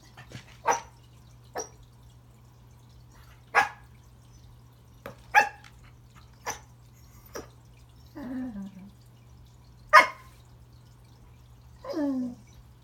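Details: Remington the corgi greets a new friend, a toy under the Christmas tree, with scattered short, sharp yips spaced a second or two apart, broken by two drawn-out, falling whining grumbles, indoors with little else heard.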